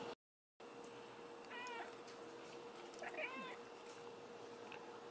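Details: Cat talking like a human in a funny clip: two drawn-out, wavering meows with rich harmonics, roughly two seconds apart, over a constant electrical-sounding hum.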